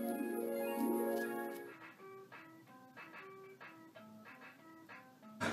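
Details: Plucked-string music plays throughout, a sustained chord at first, then a picked melody of short notes that cuts off abruptly, with no animal voice.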